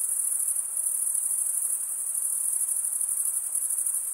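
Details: Crickets, with the males chirping by stridulation of their serrated wing veins, produce an unbroken shrill trill with a faint pulsing texture, sustained evenly throughout and alone in the recording.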